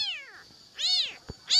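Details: Abandoned newborn kitten crying for its mother while awaiting bottle-fed milk; loud, piercing, arched meows, one fading away, one full, a third starting, with a single short tap between them.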